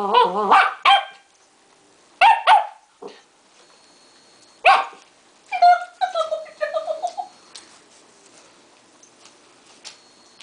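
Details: Westie pup Duke, 3.5 months, playing with tape at home alongside Daisy, a five-year-old Westie; sharp, high barks in quick pairs, followed by a string of squeaky, wavering yelps that trail off.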